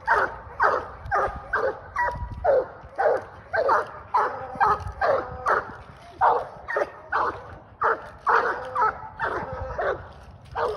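A Treeing Walker Coonhound barks in a rapid, steady series, some barks drawn out into short bawling notes.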